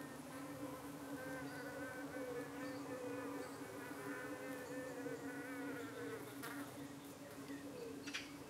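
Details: Honey bees humming at their hive in the UK on an evening when flies were attacking them and trying to settle on their abdomens; a dense, unbroken low buzz with wavering higher harmonics and a few faint clicks.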